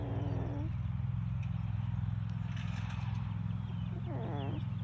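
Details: Australian Shepherd puppy from a homestead litter, grunting happily during a belly rub: a steady low rumbling pulse runs throughout, and brief high wavering whimpers break in at the start and again near the end.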